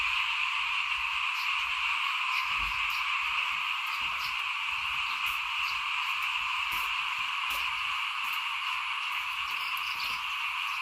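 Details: Many frogs in chorus in front of a house while rice was being sown in 2021. Continuous high trilling wall of sound, with brief clicks and taps scattered above and a soft low rumble beneath.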